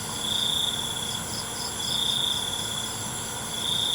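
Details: A short stretch of cricket chirping at night: a few high, buzzy trilled bursts rise and fade above a constant high insect hum.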